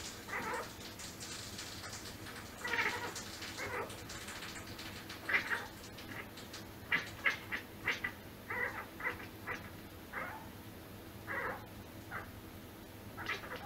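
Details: Domestic cat making strange sounds: a long run of short, chirping and meow-like calls, some harsh, others clipped, coming in quick bursts roughly every half second to second, over low indoor hum.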